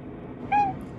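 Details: High-voiced black-and-white cat lying in wait after a bath, begging for affection: a single brief, pure, high chirp-like meow held level for a moment against a quiet low hum.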